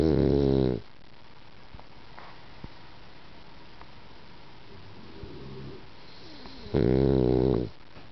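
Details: Sleeping female French Bulldog snoring in a quiet room: two loud, buzzy, rattling inhalations, each nearly a second long, separated by roughly six seconds of near silence with faint rustles.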